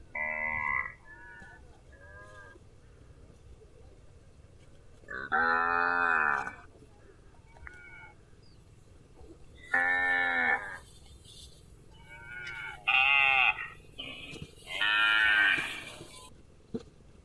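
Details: Repeated cow moos, loud harmonic bellows lasting about a second, come every few seconds with shorter softer calls between them. A brief hissing noise is heard near the end, over a constant low background drone.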